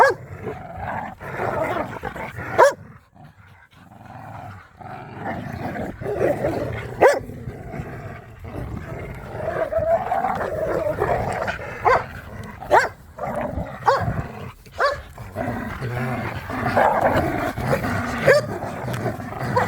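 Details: Playful tug of war between pit bulls and a Malinois in a yard: continuous throaty snarling and growling, a brief lull near the third second, and several squeaks from the toy scattered throughout.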